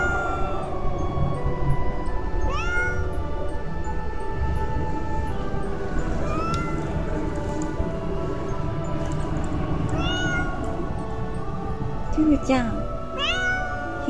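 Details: Free-roaming feral cat meowing plaintively in a year-end greeting, perhaps in a territory quarrel with a calico; four spaced, falling harmonic meows, two close together near the end, with background music and a woman's voice.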